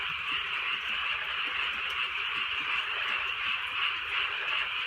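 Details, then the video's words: Countryside frogs croaking on a drizzly night; a thick, even chorus of many callers, rapid pulsing notes fused into a bright continuous buzz, gentle rain audible beneath. "개구리 소리"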